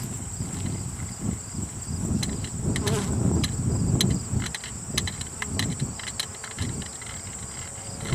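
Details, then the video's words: Swarm of honeybees being shaken off a lilac bush branch into a hive box during removal, the bees now quite active: dense low droning hum swelling and fading, a steady thin high whine throughout, scattered sharp taps and clicks. "bee swarm"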